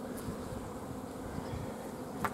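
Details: Low continuous humming from a honey bee hive at an apiary, 14 June 2016, where lack of forage has made the colony block the queen from laying; a soft click near the end.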